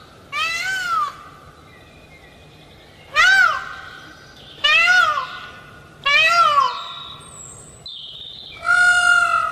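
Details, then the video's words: Cat meowing: four separate drawn-out calls, each arching up then down, spaced about three seconds apart, with a brief whistle-like tone between them and a final flatter, steadier call at the end. "Suara semua hewan yang ada di dunia: Panda, burung merak, tupai, kucing"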